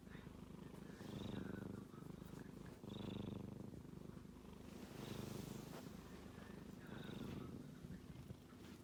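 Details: Male kitten asleep and snoring; a coarse, fast-throbbing low drone surging in breath cycles about every two seconds, thin whistly squeaks riding on some breaths.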